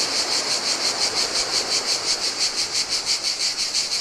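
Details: Greek island beach cicadas singing in hot weather beside the Adriatic: piercing buzzy tone swelling and fading in even beats, nearly three per second, accompanied by quiet lapping waves.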